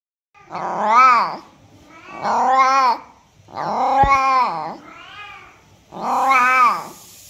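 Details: Domestic cat meows meant to attract other cats: five drawn-out, harmonic-rich meows, each rising then falling, spaced about a second apart, with a sharp click near the middle and a faint hiss at the end.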